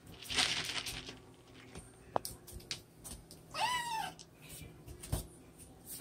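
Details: Siamese cat on the attack, uttering a single brief arched meow midway through, amid clattering, sharp knocks and rustling handling sounds.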